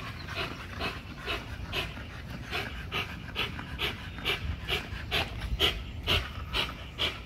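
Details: Hard, steady panting from an XL American Bully on a spring pole at Caona Bullys, quick rasping breaths about twice a second in an even rhythm, with faint thuds of the workout below.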